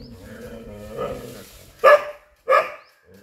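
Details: Chippiparai dog fighting monkeys: two sharp, loud barks about half a second apart near the end, preceded by low growling and whining tones.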